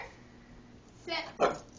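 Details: A female Shiba Inu being put through tricks barks on the command to speak: two short, sharp, fairly faint barks about a third of a second apart, amid quiet indoor background.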